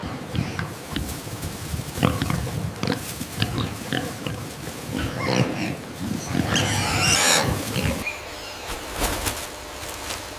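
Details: A pig gives rapid, rough, low grunts and snorts in irregular bursts, with a harsher squealing rasp midway through.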